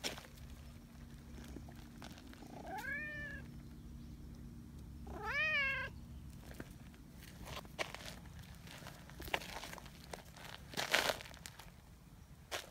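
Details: Two wavering, rising-falling meows from Nyahha, a friendly tabby community cat, pleading affectionately for attention. Quiet shuffling and soft clicks follow the cries.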